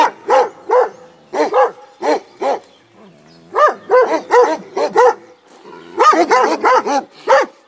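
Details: Komondor dogs guarding a boathouse beside the cave bath at Miskolctapolca, Hungary, barking in bursts: paired and triple deep, harmonic woofs, about eleven barks with short pauses between groups.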